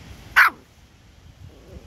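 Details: A single short, sharp bark from a toy poodle indoors, right after a woman repeatedly tells the dog to stop; low room noise follows.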